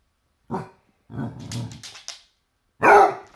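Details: Basset Hound confronting a toy T-Rex, giving a short bark, a rough growling grumble, then a loud sharp bark.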